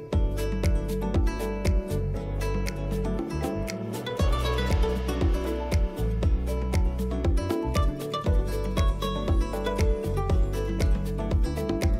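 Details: Loud rhythmic instrumental music with a heavy steady bass beat plays throughout, and no animal sound is heard.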